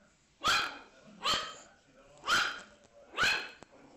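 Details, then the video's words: Puppy barks: four separate rough, hoarse woofs spaced about a second apart, each short and punchy, with faint background noise between them. "Los mejores LADRIDOS de PERROS CACHORROS"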